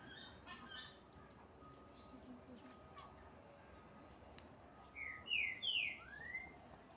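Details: Marmosets being fed give a short run of high, sweeping whistled calls near the end, over faint background chirps.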